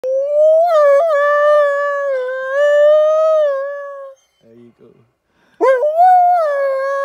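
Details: A captive wolf at a sanctuary in Spain howls in exchange with people: a long, steady, tonal howl of about four seconds, a short pause with a faint soft sound, then a new howl that rises sharply and levels off.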